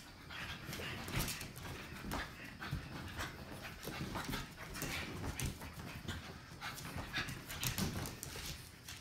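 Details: Puppies at play, filmed in 2017: soft, breathy panting in quick noisy bursts that repeat steadily, with a low rumbling background throughout.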